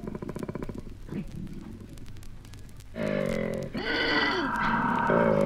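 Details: Male koala grunting in Australia, from a 1968 wildlife record: a rapid pulsed, rasping rattle at first, then a louder harmonic droning bellow that rises in pitch, with a faint record hiss and low hum beneath.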